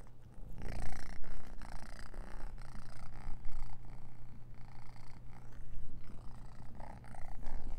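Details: Orange cat near a food bowl that seems wrong to it, heard as a low continuous rumbling purr with rhythmic breathy pulses and scattered clicks and rustles close to the recorder.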